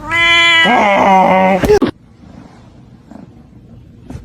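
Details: A cat gives a loud, drawn-out meow lasting about a second and a half, wavering and bending in pitch, ending in a short sharp burst; quiet room noise follows with faint rustles.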